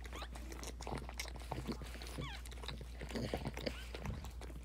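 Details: Boston Terrier during labor and delivery of a litter of nine purebred puppies, born on day 63 of pregnancy, January 23, 2018: thin, high squeaks that bend up and down, several short ones in a row, amid wet licking and rustling noises and a low steady hum.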